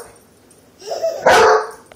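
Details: Trained German Shepherd dog giving a single short, sharp bark about one second in, preceded by a softer, rougher rising sound; otherwise quiet indoors.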